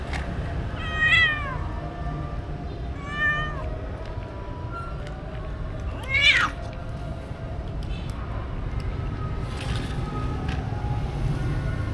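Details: Stray cats being fed, recorded on a DJI Osmo Action: three clear meows, each a bright, falling, drawn-out cry, near the first, third and sixth seconds, over a steady low rumble.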